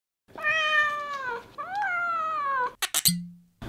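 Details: Odd-eyed Munchkin cat, one year and five months old, eating salmon soup; two long, clear, drawn-out meows, the second rising then gently falling, followed by a few short clicks and knocks.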